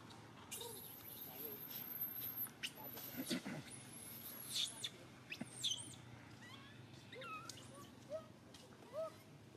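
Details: Baby monkey SUCA crying out loudly when grabbed by the monkey SUSAN: shrill, high screams sliding up and down, then shorter rising squeals, with talking and scattered clicks around them.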